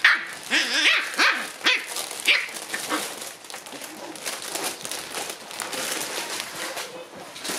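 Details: Shiba Inu puppy that loves playing in a tunnel gives several high, rising-falling yips in quick succession, followed by rustling and scrabbling noises.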